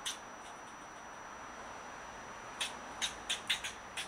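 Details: Eastern fox squirrel claiming an avocado tree as its territory and barking at a person; near-silence gives way to six or so crisp, clicky barks spaced about a third of a second apart at the end.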